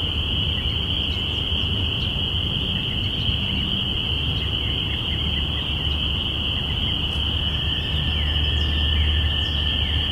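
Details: Many spring peepers calling together at the beginning of spring, recorded binaurally on April 5, 2017. A continuous piercing chorus holds steady, with scattered brief chirps and a low rumble of distant traffic or wind.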